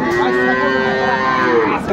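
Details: Improved-breed dairy cow at Aftabganj cattle market, Dinajpur, on 30 June 2024, giving a long, steady, tonal moo of nearly two seconds, rich in harmonics and level in pitch, with a faint murmur of the market crowd behind.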